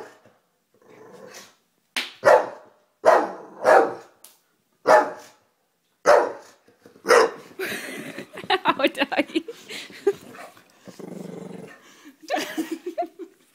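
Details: A fearful pet Bulldog barking and growling from a safe distance at someone chewing gum: a series of short, loud, gruff barks about once a second, followed by rougher rapid grumbling growls and a few final yelping barks.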